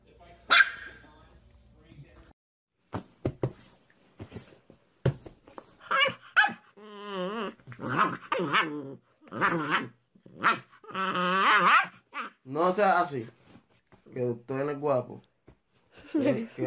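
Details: Young puppy vocalizing in a run of drawn-out, wavering yelps and barks, each about half a second to a second long, following a few clicks and brief sounds at the start.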